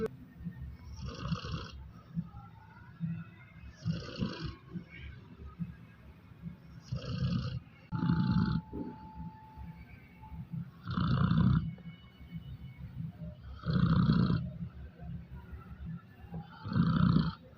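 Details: A sleeping dog snoring on New Year's Eve indoors: low rumbling snores with noisy upper harmonics, about every three seconds, growing louder and more regular toward the end; a faint steady tone briefly in the background.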